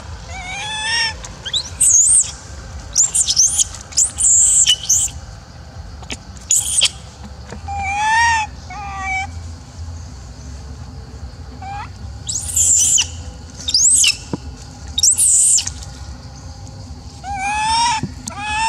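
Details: Female macaque Elpida, apparently jealous and upset while old female Susie is fed, gives repeated tonal coos that rise then fall, mixed with shrill high squeals in bursts across the stretch, with faint clicks in the background.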